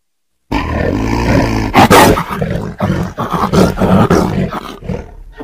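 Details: Tiger producing a continuous gravelly growl that swells into a sharper roar burst, followed by choppy, uneven rumbling pulses.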